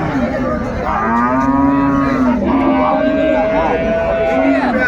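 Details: Cow with calf at Ambari Haat market in Dinajpur, 24 May: one long, sustained harmonic moo that wavers slightly in pitch and tails off, with faint voices and market noise behind.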